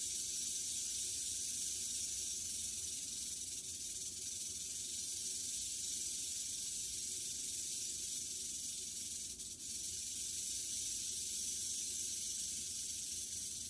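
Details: Freshly shed captive western diamondback rattlesnake, shed three days before, killing a mouse; a constant high buzzing rattle holds steady, broken only by two brief clicks midway.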